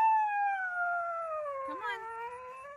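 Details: Husky named Sasha howling in protest in a car, refusing to get out: one long drawn-out howl with rich harmonics, gliding slowly downward, breaking briefly near the end, then settling lower; a person coaxes the dog nearby.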